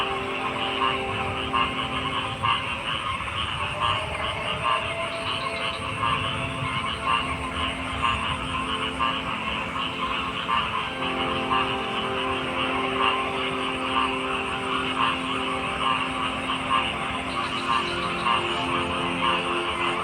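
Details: Frog chorus of many overlapping callers, rhythmic croaks and buzzy trills filling the mid and upper range without pause, accompanied by steady droning bands and a soft low-frequency rumble.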